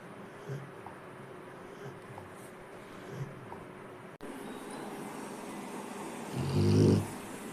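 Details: Rottweiler. Faint, low snoring breaths from a sleeping Rottweiler recur every second or so. Near the end comes a louder, throaty, rattling snore, deeper and fuller than those before it.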